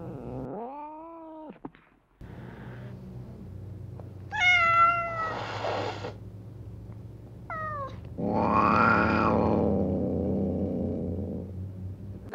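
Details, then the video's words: Domestic cat sounds for attracting cats: a bent low meow, short high meows with sharp harmonics, and a long rough noisy yowl near the end over a steady low hum. "KEDİ ÇAĞIRMA SESİ | KEDİLERİ KENDİNE ÇEKEN SES"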